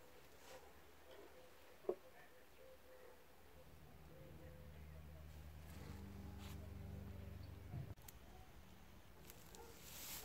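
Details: Bee at an insect hotel: a low droning buzz with stacked overtones swells in after three and a half seconds, growing louder as it nears, then stops abruptly near eight seconds; faint ticks and quiet outdoor ambience around it.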